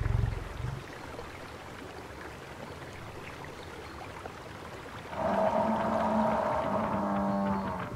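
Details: Buffalo calling in their natural savannah habitat, opening with a brief low grunt, then steady background hiss, then a sustained, rich harmonic moan lasting nearly three seconds at the end.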